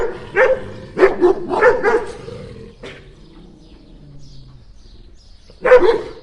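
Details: Two dogs barking at the same time, a rapid burst of four or five sharp barks, one quieter bark, a low growl-like hum during a quiet stretch, then a final loud bark.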